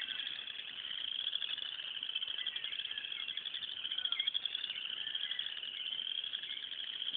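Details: Loud frog chorus from a pond in the morning, filmed on an Android phone; a dense, continuous high trilling wall of overlapping rapid pulses, unbroken throughout, with no other clear sounds.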